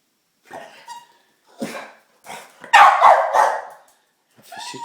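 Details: Pet dog, excited and anxious about getting a treat, making odd bird-call-like noises: short squeaky yelps and whines, then a louder raspy, wavering burst, with a person saying "treat" nearby.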